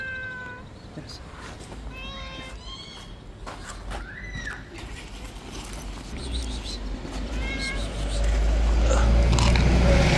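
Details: Angry white street cat, described as a bully of other street cats, gives a run of short wavering harmonic meows, then a longer arched yowl midway, while a low rumbling noise builds toward the end.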